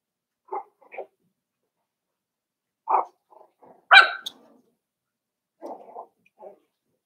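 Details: Cavalier King Charles Spaniel puppies, five weeks old, in Daisy's pen: short, spaced yappy barks in small pairs, with one sharper, higher yelp near the middle, and quiet gaps between.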